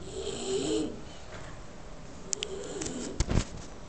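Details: A sleeping Bulldog gives a rasping snore followed by a softer second breath two seconds later, with a few sharp clicks and a thump near the end in a quiet room.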